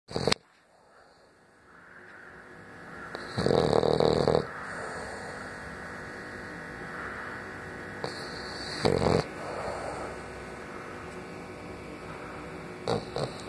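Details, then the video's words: French Bulldog snoring indoors: loud, rough, noisy snore bursts around four and nine seconds, separated by quieter stretches of steady breathing hum in a small room. "Bull dog francés roncando"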